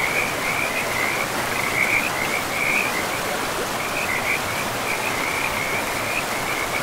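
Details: Frogs calling beside a forest river: rapid, buzzy trills repeat in bursts almost without pause over a constant hiss of flowing water.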